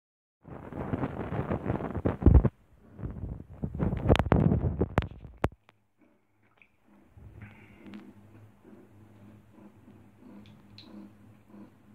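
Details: Bursts of rustling and a few sharp clicks give way to a low indoor rumble; no animal calls.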